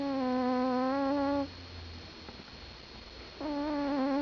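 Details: Domestic cat asleep and snoring, giving two sustained whistling tones with rich overtones, each breath lasting over a second, separated by a quiet pause with low rumble.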